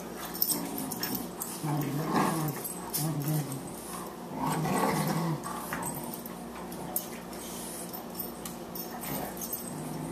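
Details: Play-fighting Boxers, the elder Lou Dog and 14-week-old puppy Margie, at 18 pounds. Low, rumbling growls come in two rough bursts a couple of seconds apart against a quiet indoor background.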